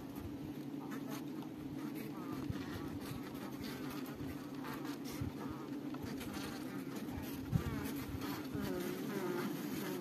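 Many honey bees make a continuous low, buzzing drone, steady in pitch with gentle swells as individuals pass close. Faint wavering sounds drift in the background beneath the hum.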